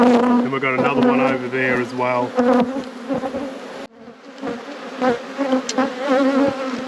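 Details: Honey bees humming loudly during an apiary hive inspection. An intense, droning buzz with sliding, wavering overtones, a deeper drone early on, a brief drop in volume near four seconds, then the hum resumes.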